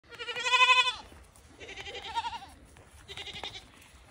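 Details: Newly acquired pet fainting goats give three quavering, nasal bleats, the first loud and long and the others softer.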